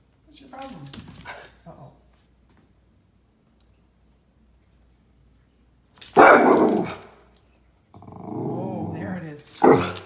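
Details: A male miniature red poodle, watching birds at a bird feeder through a window, gives loud, harsh barks around six and ten seconds with rough growling between, while a person talks over the start.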